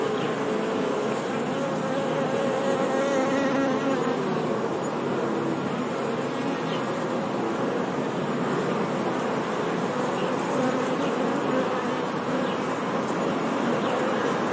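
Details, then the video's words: Continuous honey bee hum, a busy, thick buzz with low tones rising and falling slightly as bees move about, steady in loudness throughout with no other clear sounds. "Bee Sound 🐝 | Sonido de Abeja | मधुमक्खी की आवाज़"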